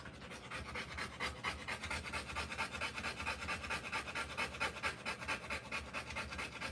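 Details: Rottweiler giving birth to puppies, panting fast and evenly at about 133 breaths a minute, each breath a hissing, breathy puff, the rhythm unbroken and regular throughout.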